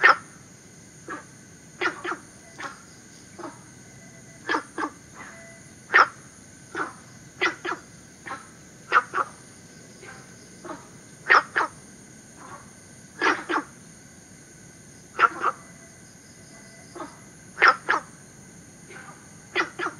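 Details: Günther's frog from southern China, an introduced species in Singapore. It gives a long series of short, coarse barking calls, frequently in twos, at uneven intervals beneath a steady high insect chorus.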